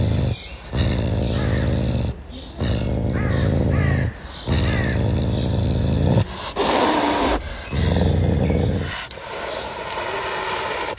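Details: Eating caracal named Pumba gives rough, throaty growls in bursts of one to two seconds separated by short gaps, and one harsh, airy hiss partway through.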